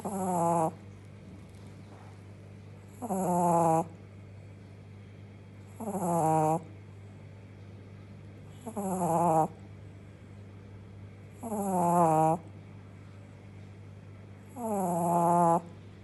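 A Shih Tzu puppy snores in steady, harmonic rasps roughly every three seconds.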